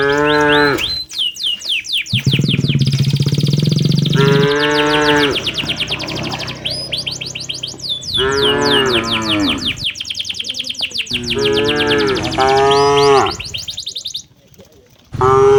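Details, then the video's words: Cattle herded back to the farm in the late afternoon in a peaceful village setting: repeated moos, some long and drawn out, others shorter and overlapping, with a constant chatter of high, rapidly repeated bird chirps throughout. "suara sapi lembu berjalan menuju ke arah kandangnya, aktifitas sapi di sore hari"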